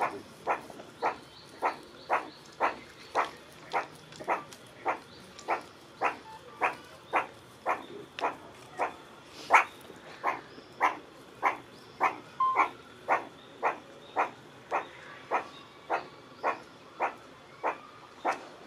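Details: Meerkat giving an unexpected call: a long, steady run of short, sharp, bark-like yelps, repeated almost twice per second, about thirty in a row with little change in pitch or strength.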